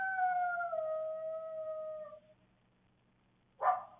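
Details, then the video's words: A coyote, caught on a security camera in the evening in Waukesha County, Wisconsin, gives a long, clear howl that slowly falls in pitch, followed by two short, sharp barks. "Coyote Vocalizations"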